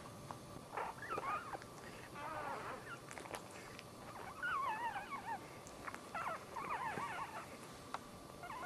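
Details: Squeaky, warbling whimpers from a newborn Dachshund puppy at the birth of the litter's third pup, a run of short wavering cries spread across the whole stretch over a soft steady hiss.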